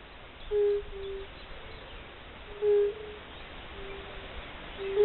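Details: Fire-bellied toads calling in spring: soft, short, mellow hooting notes, each under half a second, repeated roughly every two seconds, with fainter toads answering between them over a quiet rural background.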